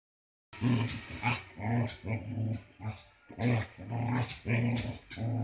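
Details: Branco, a year-and-a-half-old Samoyed, growling while playing: deep, rough growls in short throaty bursts, roughly two a second after a moment of silence, with breathy gaps between them.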